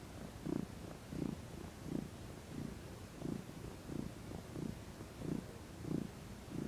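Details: Fluffy female domestic cat purring while lounging in the sun, stretching and rolling over. A low, rumbling purr swells and fades in even pulses, roughly one per breath, steady throughout.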